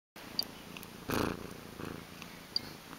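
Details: Domestic cat purring as a low, pulsing rumble, with two louder breathy swells around the middle and small clicks scattered through.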